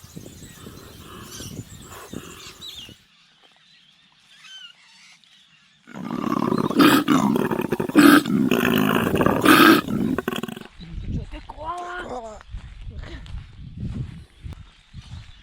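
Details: Wild koala, described as female, on Kangaroo Island, Australia, moving between trees and eating eucalyptus, making the odd noise male koalas make: after quiet rustling, a four-second deep, rasping, rapidly pulsed snoring-belching bellow, then softer low grunts and faint background sounds.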